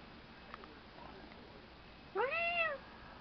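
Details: A three-month-old domestic kitten, newly adopted, meowing indoors: one arched, rising-then-falling meow lasting about half a second with rich harmonics, preceded by quiet faint rustles and room hiss.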